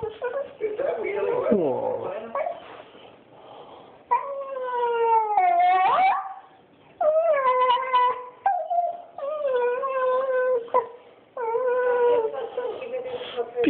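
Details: Banjo, a pet dog missing his owners away in Switzerland for a couple of weeks, cries indoors in drawn-out tonal whines and howls with rich harmonics, rising and falling in long phrases separated by short pauses; a person talks to him.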